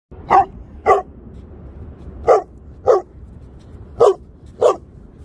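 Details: A Leonberger dog barks six times: loud, short, sharp barks in three pairs, each pair about half a second apart with longer pauses between, over a quiet background.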